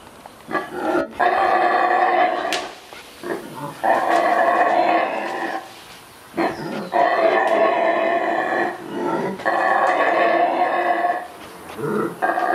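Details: Mantled howler, Central American rainforest monkey, locally called saraguate: loud, hoarse, roaring howls in long sustained bouts of about two seconds, separated by short pauses, with rough harmonic texture throughout.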